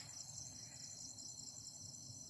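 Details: Crickets at night at a hilltop old fort site, Bukit Supai, Alor Gajah, Melaka, Malaysia; continuous high, shrill ringing trill in several steady bands, unbroken and even throughout, with faint low background rumble.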